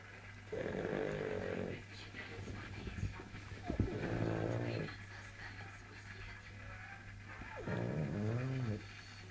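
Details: Pug snoring loudly while keeping a cat awake indoors. Rough, drawn-out snores with a wavering, harmonic quality come in bursts about two to three seconds apart, over a constant low electrical hum.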